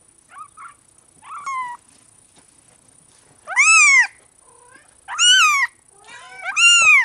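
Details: Benito, the large-spotted Bengal kitten, starts with soft little mews, then gives three loud, strained, arching meows in quick succession, the last ones nearly back to back.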